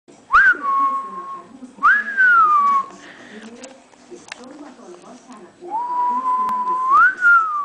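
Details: Eight-week-old female French Bulldog puppy indoors, giving three drawn-out tonal whines about a second each, every one rising sharply then gliding down and holding steady, with quiet gaps and faint room noise between.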